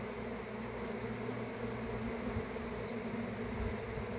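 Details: Honey bees in a swarm make a continuous, even buzzing drone with layered low tones and no break.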